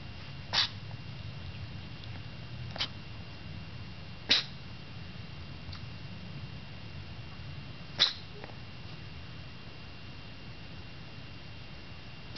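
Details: Domestic cat purring with a steady low rumble throughout, broken by four sharp sneezes at about 0.6, 2.8, 4.3 and 8 seconds. The sneezes are set off by the purring. The setting is quiet, with no other sounds.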